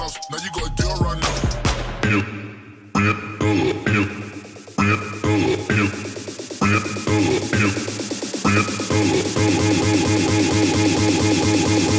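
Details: Loud electronic hip hop music with a pounding beat and rapping, no animal voice.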